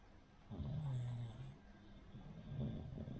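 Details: Sleeping Cavalier King Charles Spaniel named Rin, a flat-nosed breed, snores in two low rumbling breaths, the first near the start lasting about a second, the second softer near the end, over a quiet room hum.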